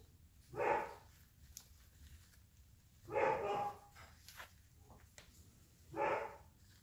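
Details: Playing litter of nine AKC-registered Airedale Terrier puppies aged four and a half weeks, San Diego, California, six males and three females; three short, rasping harmonic yaps spaced roughly every two to three seconds over a quiet room background.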